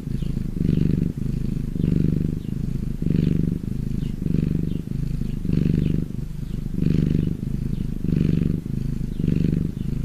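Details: Low, buzzing purr from a happy domestic cat, in and out breaths forming about nine regular pulses of deep rumble with brief dips between them.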